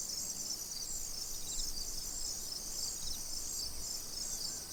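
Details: Crickets chirping by a tranquil pond: dense, steady high-pitched pulsing trill running throughout, with a faint low rumble of background noise underneath.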